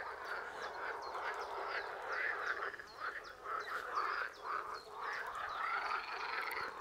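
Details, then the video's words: Frog chorus at a pond about 500 metres from a house, calling day and night: dense overlapping croaks in a mid-pitched band, pulsing in uneven waves and swelling and fading every second or so, with no other clear sounds. "Froschkonzert vor der Haustüre"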